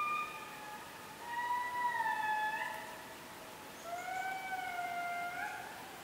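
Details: Indri lemurs in Périnet Reserve, Madagascar, give long, clear wailing notes that swell and slide slightly upward, rich in overtones.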